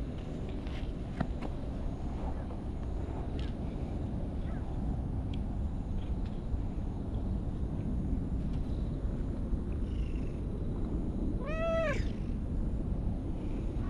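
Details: Orange-and-white cat in a park, invited to play and following along to a park bench; a single short, clear meow that rises and falls near the end over a constant low outdoor rumble, with faint ticks and background sounds.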